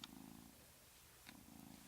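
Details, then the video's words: Domestic cat that often makes an unusual sound and tends to go quiet when recorded; soft, steady low purring in rhythmic pulses, pausing near the middle before resuming, with brief faint clicks above. "Funny kitty sound"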